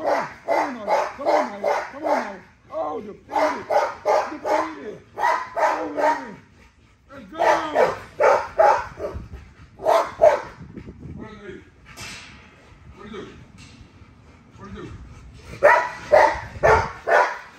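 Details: A female XL ghost tri American Bully named Nyla barks while being exercised, giving rapid bursts of four or five sharp barks separated by short pauses, with some lower whining calls and a person's excited voice in between.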